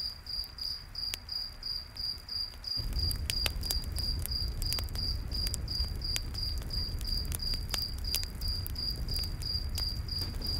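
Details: Cricket chirping beside a night-forest campfire: a bright, regular chirp about three times a second continues as the fire's low roar swells after a few seconds, with dense crackles and pops.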